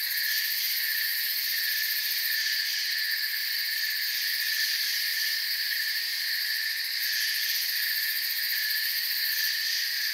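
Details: Continuous cricket chorus from a forest: bright, layered trilling at several pitches, level and unbroken, gently waxing and waning without distinct single calls.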